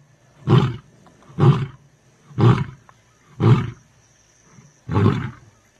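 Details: A big male lion named Nhenha gives a series of deep, grunting roars, about one each second; Lion.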